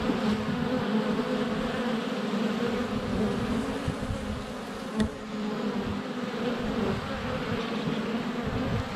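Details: Honey bee hive entrance on a sunny February day, GoPro Hero 7 Black close by with bees flying all around; rich continuous buzz, fluttering in loudness, with one sharp click at about five seconds like a bee striking the camera.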